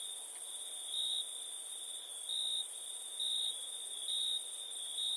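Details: Nighttime cricket sound from India, a constant shrill tone pulsing louder about once a second, layered over a very high insect hiss and broad background noise.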